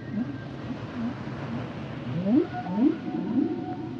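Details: Humpback whale song segment: low wavering moans followed by three loud rising swoops, each about half a second apart, with soft underwater hiss behind.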